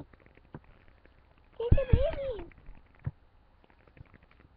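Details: A house cat searching for kittens gives one drawn-out wavering meow in the middle, rising then dipping, with quiet voices and faint tapping before and after.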